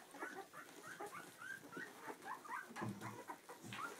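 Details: Two-week-old Clumber Spaniel puppies beside their mother Tulipa, squeaking in short thin whistled whines, some rising and some falling, with occasional soft low grunts and shuffling between calls.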